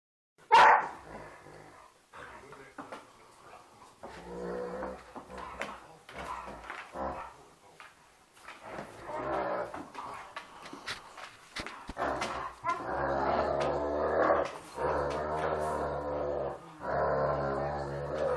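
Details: Two Irish Wolfhounds, a two-year-old and a 14-week-old puppy, playing indoors and biting each other on the snout; deep rumbling growls build into longer, louder growling bursts, with scuffling and occasional thumps.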